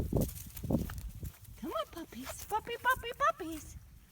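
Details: Five-week-old British Labrador Retriever puppies from a litter of six black pups, three males and three females, whelped January 17, 2017; a short run of arched, whining whimpers follows a few low thumps, with faint background noise.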